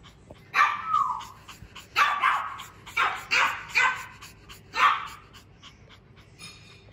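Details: Two-day-old Klein Spitz puppies, born 31 March 2023 and recorded 2 April 2023, give thin, high squeals and whimpers in short bursts, one after another.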